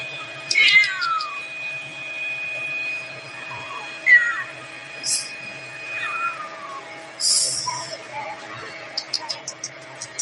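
A cat gives several high, falling meows, each dropping in pitch over about half a second.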